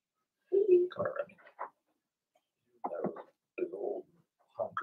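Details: Blenheim Cavalier King Charles Spaniel puppies, part of a litter of two girls and four boys born in March, make gurgling, cooing whimpers in three short bursts separated by pauses inside their home pen.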